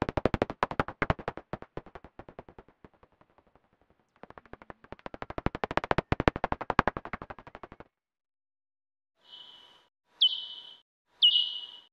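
Pipistrelle bat echolocation: a fast run of dry, snapping clicks, then a few slowed-down, downward-sweeping chirps.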